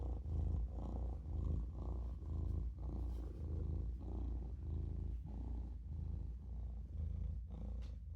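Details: Maine Coon kitten named Olof purring while napping in a sink: a deep, steady rumble rising and falling with each breath, about one cycle per second, continuous throughout.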